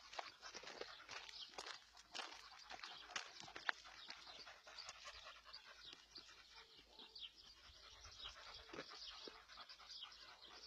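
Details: Ron, a German Shepherd, out walking with India on a hot morning around 10:30; quick breathy panting bursts mixed with crunchy footsteps and rustling along the path.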